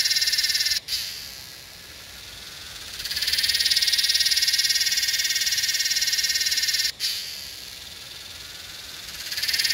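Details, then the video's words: Yellowbelly cicada (Psaltoda harrisii) in Northern NSW, Australia, 8/12/20, producing a shrill, fast-throbbing buzz that breaks off abruptly, drops to a faint hiss, then surges loudly again, twice over. "Yellowbelly cicada call (Psaltoda harrisii)"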